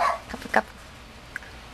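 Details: Male Mame Shiba Inu puppy at a breeder's: a short high yelp right at the start, then a second brief yip about half a second later, followed by near quiet with one faint tiny chirp.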